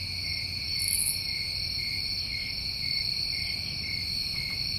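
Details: A chorus of New England crickets in summer, made of constant shrill trilling in two stacked pitches, with one brief very high chirp near the first second and faint low background noise.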